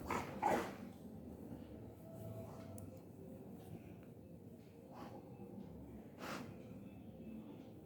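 A Rottweiler gives one loud, abrupt bark-like noise, then softer grumbling sounds every second or two.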